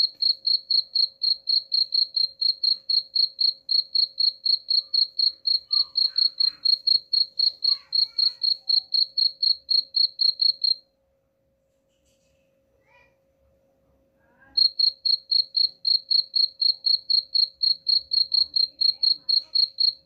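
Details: Chirping cricket, offered as a rat repellent; rapid high pulses repeat evenly around four times a second, stop for about four seconds of near silence with faint clicks, then resume just as regularly.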